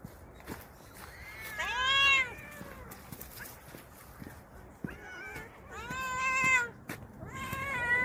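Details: Garden stray cats being served special food meow in drawn-out, bending wails, three main bursts about two seconds apart with softer calls between, over faint outdoor background and sharp clicks.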